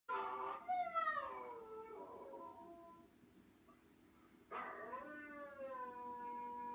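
A basset hound gives long, mournful howls that slide downward and trail off, with a pause between them.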